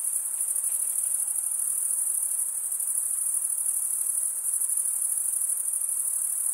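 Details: Crickets chirping by stridulation, rubbing one wing's toothed vein against the other; a dense, steady, very high-pitched shimmering trill that runs unbroken with slight pulsing throughout, and no other sounds.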